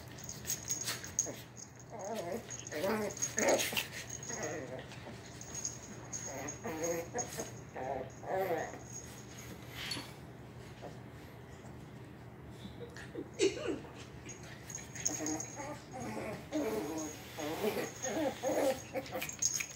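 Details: A 1-year-old mother Shih Poo and her 8-week-old puppy roughhousing and play fighting in a living room. Wavering, whiny growls come in short bursts separated by brief pauses, with a faint steady high whine underneath.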